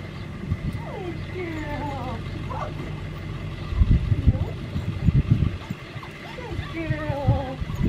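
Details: Whimpering red merle Australian Shepherd, a seven-week-old female of 9 pounds raised on an Oklahoma farm, bothered by her collar. Wavering, bending whines come in short runs, separated by bumps and rustling thuds, with a steady low hum beneath.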